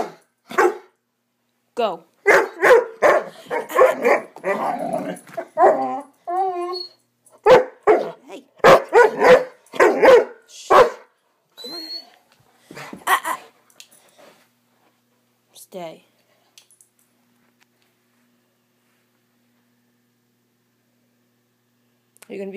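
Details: Swiss Mountain Dog puppy Bower during a 'bad dog run': for about thirteen seconds a rapid flurry of harsh barks and growls, then mostly quiet with a few thin, wavering whines or yips near the end.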